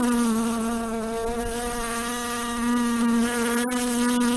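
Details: Steady buzzing of a housefly on the wing, an even, humming drone with faint pitch wobbles and a brief sharp click near the end, otherwise uninterrupted.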